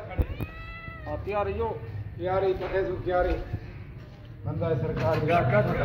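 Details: Cat asking for food with a run of meows, one long level cry followed by several bent, wavering meows at irregular intervals over low background rumble.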